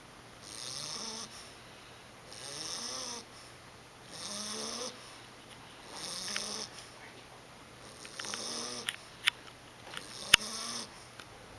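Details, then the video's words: Sleeping 11-week-old English Bulldog pup named Monty snoring steadily, a rasping, buzzy breath roughly every two seconds, about six in a row, with a few faint clicks and taps toward the end. "Monty the snoring Bulldog"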